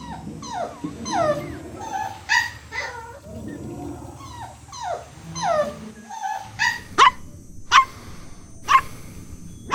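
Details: Playful puppies competing for toys on green grass: a string of falling whimpers and yelps, then four short, sharp high yips spaced about a second apart.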